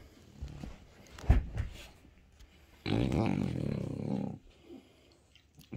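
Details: French Bulldog Bob, settling down to watch TV in a home office, talks to his owner: a few quick snorts, then a long, low, rumbling grunt lasting over a second, fading into soft huffs.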